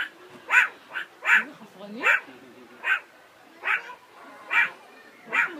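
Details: Meerkat (Suricata suricatta), call.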